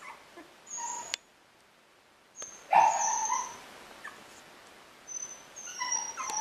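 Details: English Cocker Spaniel pups, a little over two weeks old, in the nest: a few loud whimpering squeals and yelps between quiet gaps, with faint high clicking sounds.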